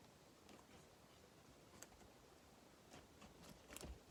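A guinea pig munching, with soft, scattered crunches and crisp clicks over a quiet hiss.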